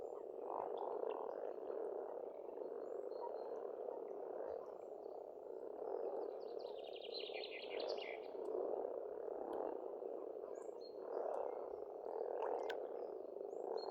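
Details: Frogs croaking together in spring at an Estonian farmstead pond, an unbroken low murmuring chorus that pulses in waves, with a brief burst of high rapid bird trills midway and scattered chirps.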